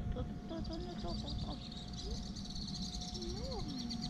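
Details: Black cat in a park after eating, trying to cuddle and climb onto its human: several short, rising-and-falling mews, with one clearer arched meow near the end, over steady outdoor rumble and a faint high hiss.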